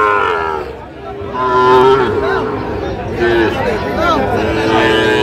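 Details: Sahiwal bull calves at a busy cattle market in Bangladesh, lowing with drawn-out harmonic moos that rise and fall, under steady crowd chatter and voices of traders.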